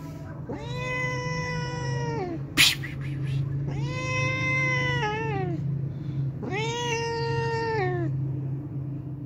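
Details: Hungry homeless cat that comes daily to drink milk, giving three long, drawn-out meows, each about one and a half seconds, rich in harmonics and falling at the end, over a steady low hum with a brief click between the first two.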